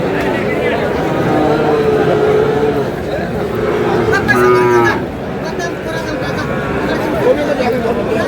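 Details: Sahiwal bull calves at a cattle market in Brahmanbaria, Bangladesh, on 31 March: a drawn-out, mid-pitched moo around two to three seconds, then a shorter harmonic bellow, set against steady crowd chatter and bargaining voices.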